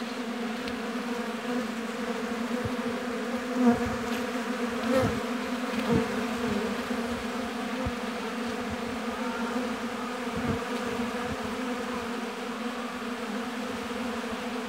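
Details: Bees at a beehive in an apiary give a continuous, mellow low drone with several layered tones, steady throughout, broken only by a few faint soft knocks.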